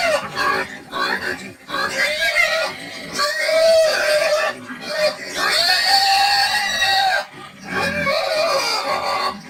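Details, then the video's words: Medium-sized bristleless pig of a dual-purpose meat and lard breed screaming: loud harmonic squeals rising and falling in long drawn waves, nearly continuous with short breaks, strained and piercing throughout. "SOUND OF SCREAMING PIG"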